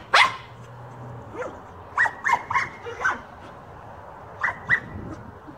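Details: Male Jack Russell terrier playing with a giant tennis ball, giving one sharp yelp, then clusters of short, high, clipped barks and yips in two bursts, with quiet pauses between.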